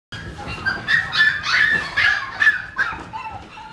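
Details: Chihuahua giving a quick run of short, high, sharp yapping barks, about seven in under four seconds, each a bright tonal yip, with a faint low rumble underneath.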